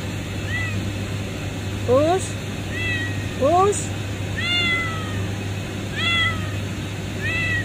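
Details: Kitten under a refinery pipe meowing clearly and repeatedly, bright high mews that rise and fall, about five in quick succession, with a person's voice cutting in twice over steady low machinery hum.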